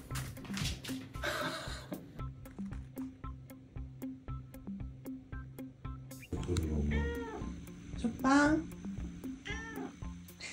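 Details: Sobbang, a male British Shorthair cat born 18 June 2022, kept indoors and given to squaring off with his own reflection in a mirror, gives several drawn-out, wavering meows in the second half over steady background music, with a person talking.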